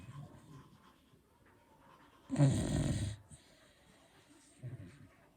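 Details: Sleeping Beagle giving a single loud, harsh snore of under a second, with low, soft breathing before and after it.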